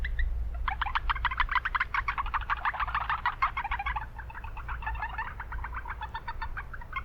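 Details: Japanese brown frog calling in a city wetland, a fast run of short bright pulses repeated steadily for about six seconds, clustered many times per second, over a constant low rumble of urban noise.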